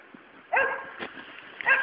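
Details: Luna, a three-month-old Labrador puppy, lets out two quick, bright yelps while she plays with a toad. A faint soft thump sounds between them.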